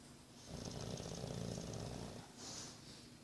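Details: English Bulldog named Boris, nine months old, snoring indoors: a low rattling inhale lasting about a second and a half, pulsing rapidly, followed by a softer hissy exhale.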